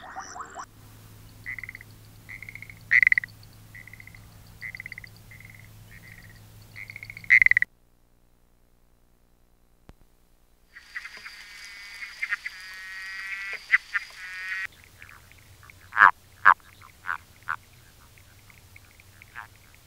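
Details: Frog calls from South Africa: short pulsed notes repeated about twice a second, then a separate long rattling trill after a silent gap, followed by a few sharp clicking notes over a low hum.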